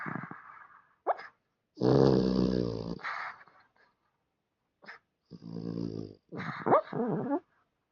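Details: Dog asleep and snoring: long, rough, buzzing rattles drawn in with each breath, two main snores over a second long, separated by quiet pauses and short snorting puffs.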